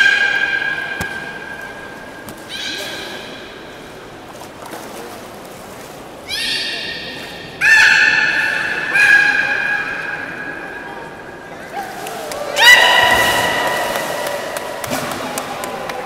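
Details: Aquarium beluga, Port of Nagoya Public Aquarium, during its public training on 18 July 2016 at 13:30: scattered tonal squeals and harmonic whines in separate bursts, with pauses and a broadband buzzy call near the end.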